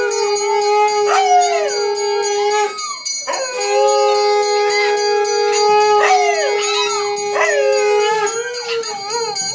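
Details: Dog howling at a Bhairava temple in Pozhichalur; long sustained wavering howls that hold a steady tone, then slide downward, repeated in several drawn-out bouts with brief breaks, with a constant tonal drone running alongside.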